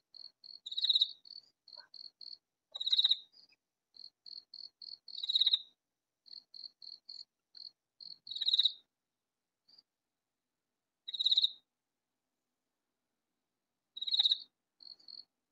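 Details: Loud katydid calling unseen in a vegetable garden, producing six sharp, raspy bursts, at first every two to three seconds, then with longer pauses, and soft ticking notes between the early bursts.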